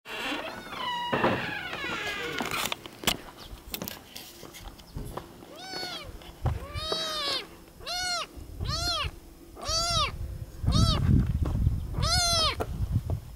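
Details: Sleepy, hungry kitten on Isla del Sol in Lake Titicaca, Copacabana, Bolivia, gives a run of high, arching meows, about six in quick succession in the second half, over rustling and low rumbling noise.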